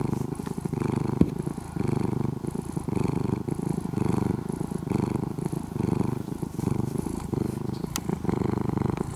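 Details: A once-feral orange-and-white kitten, taken in and cared for for more than two years, purrs loudly near the microphone: a coarse, rumbling engine-like buzz rising and falling rhythmically with breathing, with one brief click.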